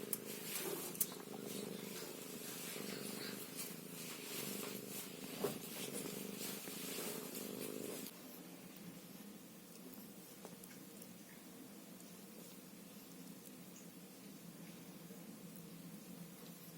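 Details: Ginger Scottish Fold kitten named Karamel, shown growing from birth to three months, purring indoors: a steady, rapid rumbling purr, louder through the first eight seconds, then continuing more softly to the end.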